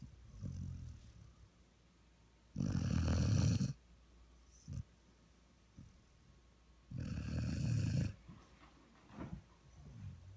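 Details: A 1-year-old female Vizsla snores asleep on a lap, each breath a deep, rattling rasp lasting about a second, in long bursts separated by softer snuffles and quiet steady breathing.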